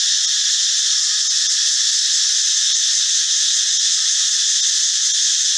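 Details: Loud forest cicada call made by the males: an intense, even, sizzling drone, high and continuous, with a slight pulsing texture and no pauses.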